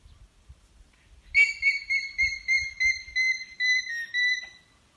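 An alpaca gives a shrill, high-pitched alarm call in rapid, pulsing bursts to warn of danger.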